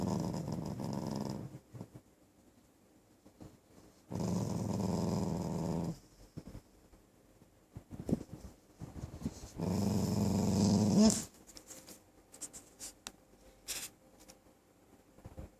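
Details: Puppy named Dirty (Mom Maem), recorded on 9 November 2012, giving three low, rough, sustained growls of about one and a half to two seconds each, separated by quiet gaps with faint clicks and rustling.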